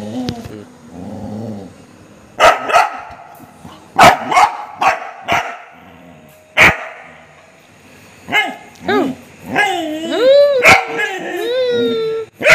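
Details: Angry Golden Retriever: a person's brief commands, then a run of sharp, loud barks spaced about a second apart, giving way to high, curving whining yelps that rise and fall near the end.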